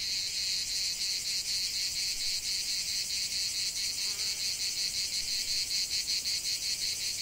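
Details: Cicadas in a lavender field giving a loud, shrill, rattling buzz made of quick regular pulses, continuous for the whole stretch.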